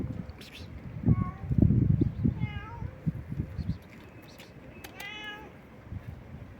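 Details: Stray cat meowing persistently: three short, rising-then-falling meows scattered across a few seconds, partly masked by loud low thumping and a person's voice calling to it.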